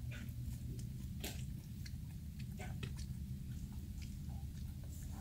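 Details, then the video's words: Several dogs crunch through dog chews indoors with loud, irregular snapping bites and softer chewing clicks, one strong crack near the start, a steady low drone running underneath. "천사견들의 푸드파이터같은 ASMR 개껌 먹방"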